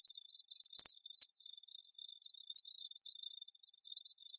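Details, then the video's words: Rapid high-pitched cricket pulses, about two per second, loudest in the first second and a half, then a steady, softer trilling chorus. "Crickets Audio Sample"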